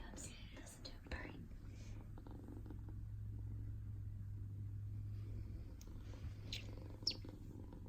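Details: RagaMuffin kitten, silver natural mink and white, purring while being petted indoors; a steady low rumble runs through most of the clip, with soft whispered human speech and a few light rustles and clicks over it.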